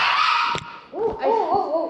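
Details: Kaki-Maru, a 4-year-3-month-old Shiba Inu, cries out at a Rotterdam vet on 22 November 2023 during his annual vaccination. Short arched, wavering whines rise and fall in pitch after a steady tone, with brief thumps.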